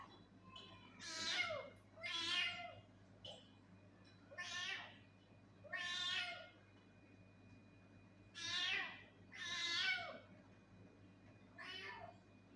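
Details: Angry domestic cat meowing repeatedly, seven drawn-out harmonic meows roughly every one to two seconds, each rising then falling, some ending in a low whine, over a steady low hum.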